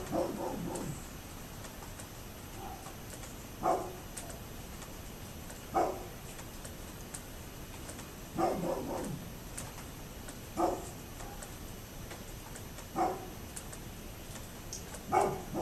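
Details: A neighbour's dog barks repeatedly from a distance, single and doubled hoarse woofs arriving irregularly about every two seconds, with steady faint background noise.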